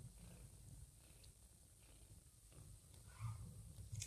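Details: Domestic cat Joanna, a mother cat nursing a little ginger foster kitten after it kissed her, purring indoors: a steady low rumble throughout, with a faint brief higher sound near the end.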